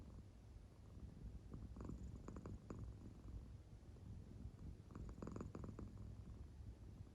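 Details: American Shorthair cat Claire purring while fast asleep, belly marking moving with the purr; quiet low drone with two clearer rasping breath bursts a few seconds apart.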